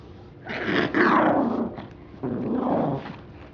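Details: Small pet dog growling while attacking and chewing a teddy bear indoors; two rough, rumbling growl bursts, the first about one and a half seconds long, the second shorter after a brief pause.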